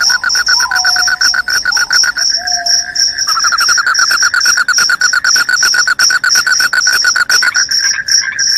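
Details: Loud crickets: a continuous high, rapidly pulsed chirping runs throughout over a lower, buzzy pulsed trill that shifts pitch slightly midway; a few brief whistled notes appear in the first two and a half seconds.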